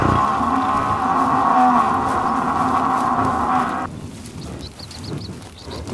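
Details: Water buffalo. A water buffalo holds one long, droning moo, strong and even in tone for nearly four seconds before cutting off. Faint high chirps of small birds follow in the quieter background.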